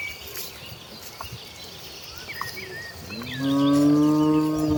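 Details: Herd of tame cattle walking through rural land toward the rice fields to feed; after quiet ambience with faint bird chirps, a low moo starts with a rising swoop and holds steady to the end.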